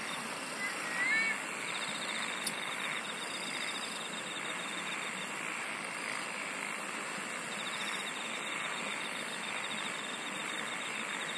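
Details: Insects singing in a steady chorus: a continuous high shrill band with faint pulsed trills layered above, holding unchanged throughout, with one brief whistled note near the start and a soft hiss of background noise.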